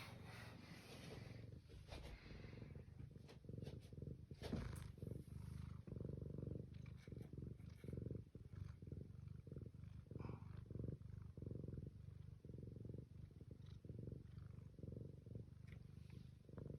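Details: Domestic cat purring, recorded 21 April 2026: a continuous low rumble pulsing steadily in short breath-timed bursts, roughly one every second, with faint background hiss and occasional clicks.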